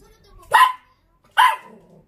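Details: Short-legged pet Dachshund barking back during an exchange with its owner; two clear, sharp barks spaced about a second apart over a faint, quiet background.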